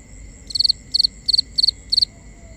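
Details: Cricket at night in nighttime ambience: loud high chirps of three to four quick pulses, repeated about every half second, with a faint steady high whine and quiet low rumble behind.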